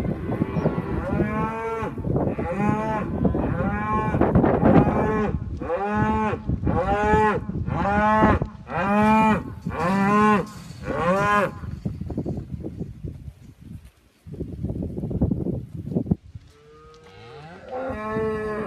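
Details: Group of seventeen Poll Hereford cows lowing: a run of about ten loud, deep, harmonic moos in close succession, roughly one per second, then a quieter pause with lower calls before another bellow near the end.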